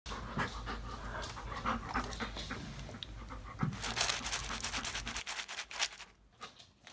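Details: Nine-month-old male Bernese Mountain Dog puppy eating his food mixed with fries; quick breathy panting mixed with chewing and crunching noises, louder bursts midway before fading out.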